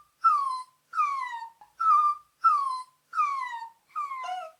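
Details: Puppy whining, with six clear, high whimpers, each starting sharply and sliding smoothly downward, spaced evenly under a second apart in an otherwise quiet setting.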